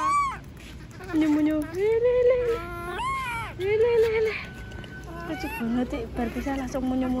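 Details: Monkey screaming because it does not want to be left alone: a run of drawn-out, wailing cries that rise and fall in pitch, several in a row over about seven seconds, with a faint steady high tone behind them.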